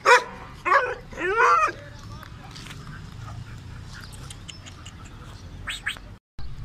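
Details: A Kohati Gultair dog lets out three loud, harsh barks in quick succession within the first two seconds, each ringing with bright harmonics. Quieter background noise and faint voices follow.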